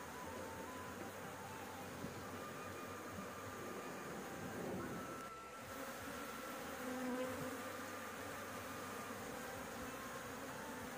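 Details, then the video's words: Swarm of honey bees at a rooftop nest being harvested for honey, with cigarette smoke used to chase them away. A continuous droning hum swells and dips, with a brief lull near the middle and a rougher burst later on. "panen madu lebah, di atap rumah"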